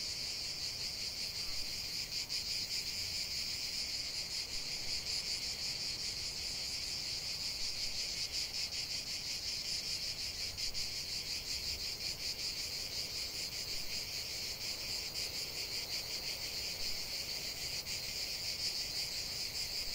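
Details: Cicadas singing together in nature, their sizzling, rapidly pulsed buzz held steady and high for the whole stretch, with only faint low background noise beneath and nothing else distinct.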